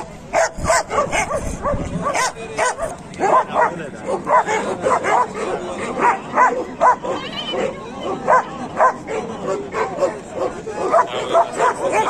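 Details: At Kohat's dog market in Pakistan, among Pakistani bully dogs and German shepherds, several dogs bark continuously, a dense chorus of abrupt loud barks and yelps throughout, with crowd voices in the background.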